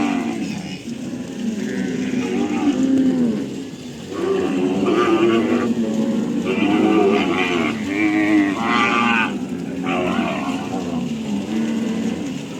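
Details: Cattle on a farm lowing repeatedly, with deep drawn-out moos that bend up and down in pitch, several overlapping as different animals call, against a steady background hiss.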